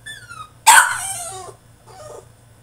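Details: In his cage, a French Bulldog throws a tantrum: a high thin whine, then one loud yelping bark sliding downward into a drawn-out complaint, followed by a softer grumble.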